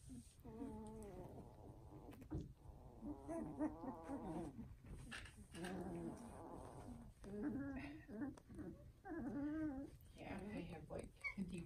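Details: Puppies from a new foster litter cry in repeated wavering, nasal wails, several overlapping bursts each lasting about a second, over a low rumbling background.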